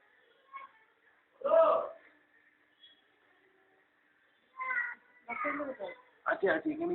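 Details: Domestic cat, a mother with her playful kittens enjoying the sun at home; a loud harmonic meow near the start, then later several short mewing calls in quick succession, with faint voices in the background.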